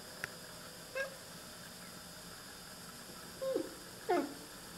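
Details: Oriental Siamese cats, two animals, talking and chattering at birds: three short, soft, clipped chirps, each bending down in pitch, spaced irregularly over a steady quiet background hum.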